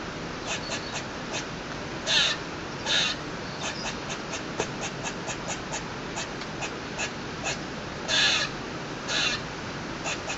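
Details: Squirrel on a balcony making lots of noise for no known reason: rapid dry ticking clicks run throughout, broken by louder harsh rasping bursts near two, three, eight and nine seconds, over steady background hiss.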